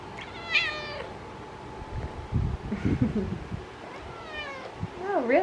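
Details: Talkative orange pet cat indoors, named Millie, meowing: two drawn-out harmonic meows, one near the start and a longer falling one toward the end, with a woman talking softly in between and a steady faint hum.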